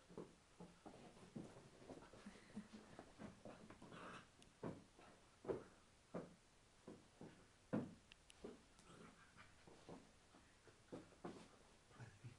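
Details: Eight-week-old Shar Pei puppy playing indoors with a man: short breathy pants and soft grunting bursts, irregular, roughly every half second, with faint whimpers and handling noises in a small room.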